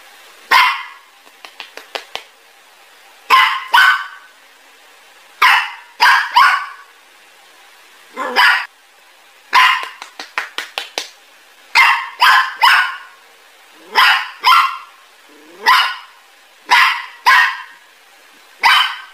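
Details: Dogs barking, described as angry: clusters of sharp, broadband barks repeated every second or two, some in quick stuttering runs of three or four, others single loud yaps, throughout the stretch.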